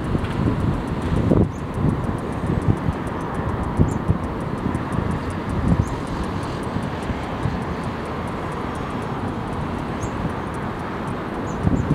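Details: Steady low wind rumble and surf-like noise, with no animal calls standing out.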